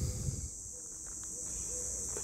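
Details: Cicadas on the banks of the Saône during a heatwave on 13 July 2025 fill the air with an unbroken, high-pitched shrill buzz, over low wind and movement rumble and a faint murmur.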